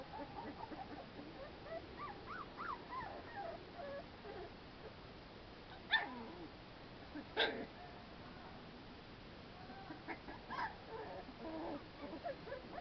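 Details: American Pit Bull Terrier puppies playing outdoors in fresh air: soft, scattered whining whimpers with a few sharper yips near six, seven and a half and ten and a half seconds over a faint background hiss.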